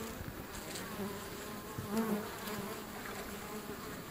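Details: Feral European honey bees at a wild hive entrance by a river, getting slightly agitated by a person standing close, make a steady low droning hum with overlapping wingbeat tones.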